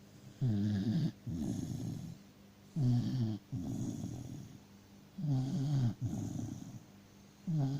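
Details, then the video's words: Dachshund Freya fast asleep, producing loud, regular snores: a sharp rattling inhale followed by a longer, breathy rumbling exhale, cycling roughly every two and a half seconds. "Собака сладко спит и храпит"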